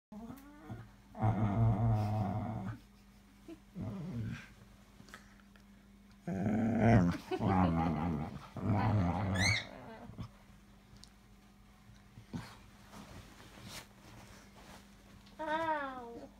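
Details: Oscar, a pet Cocker Spaniel asking for a cuddle, makes low grumbling growl-whines in several bursts, with rising whimper notes between them; a person speaks briefly.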